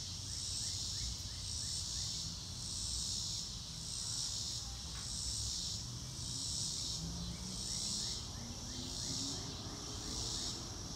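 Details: Outdoor crickets in a real-time recording without music: a shrill chorus rising and falling in steady beats about once a second, a row of faint short chirps, a brief lower whistle-like trace and background rumble.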